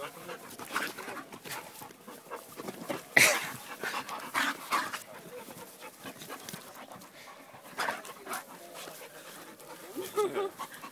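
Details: An American bulldog panting: soft, breathy, broadband huffs come in irregular bursts, a few sharper breaths standing out, with brief Dutch speech from people nearby.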